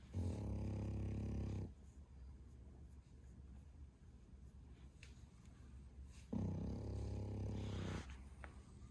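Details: Loud snoring from Bro, a male French Bulldog aged 11 months: two long, deep, gravelly inhaled rumbles about five seconds apart, each lasting over a second, with quiet breathing and faint household noise between them.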